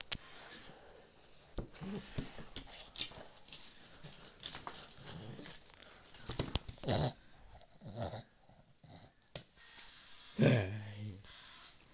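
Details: Cavalier King Charles Spaniel indoors giving soft snuffling whimpers and low grunts, with a short louder whine near the end; close-up sniffing and rustling throughout.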